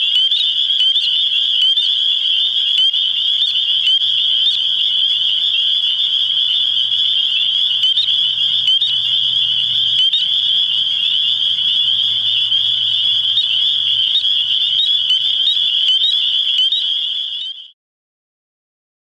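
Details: A dense springtime chorus of spring peepers (Pseudacris crucifer) in New Hampshire gives mating calls, high, piercing peeps overlapping into a nearly continuous ringing.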